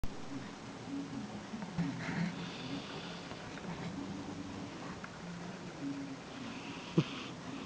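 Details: A Sphynx cat sleeping on a person's lap snores softly, a low rumbling drone with faint breathy wheezes on each breath.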